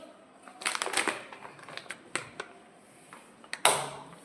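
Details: Indoor scuffs, taps and a loud knock near the end, with faint background noise and no animal voice.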